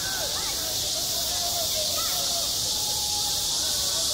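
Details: Midsummer cicadas droning at a school playground; the high, steady buzzing wall of sound runs without pause while faint sliding whistled tones drift underneath.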